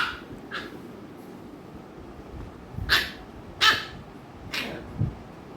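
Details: American Bully dogs Ami and Mikku from Kerala, Ami annoying Mikku; a few scattered barks of mixed loudness, with fainter short yips early and stronger barks in the second half, against low background rumble.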